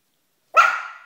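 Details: Two Yorkshire terrier puppies, Kobe and Madison, playing with their football indoors; one short, sharp, high-pitched yap with a sudden start that trails away over about half a second, with nothing else heard.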